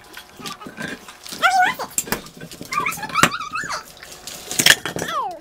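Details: Leo, a pet American Bully dog, gives high, wavering whines that slide up and then down in pitch. Several yodel-like cries come within a few seconds, with sharp clicks and household noise in the background.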